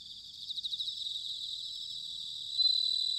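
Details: Autumn bell crickets at Sanuki in Chiba Prefecture, Japan, ringing in a high, pulsing trill that swells early, settles into a continuous shimmering drone, then brightens with a louder clear ring near the end.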